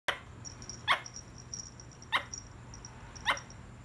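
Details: A squirrel gives three short, sharp, clicking barks about a second apart, with a faint steady hum in the background.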